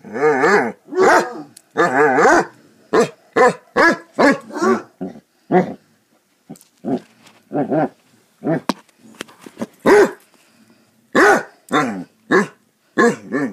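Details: Basset Hounds at play, a dense, irregular stream of deep barks, bays and growly yelps, with a quieter stretch in the middle before louder barking resumes.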